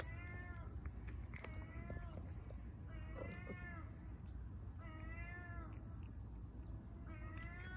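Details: Stray cat on a street in Istanbul, somersaulting for attention, meows repeatedly: five drawn-out, harmonic meows, each arching slightly in pitch, spaced about one to two seconds apart over low traffic rumble and a brief bird chirp.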